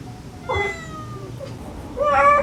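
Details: Domestic cats, a stray mother calling her kittens and kittens answering during a rescue; a thin drawn-out mew fading away, then a brighter rising meow at the end, over low hum.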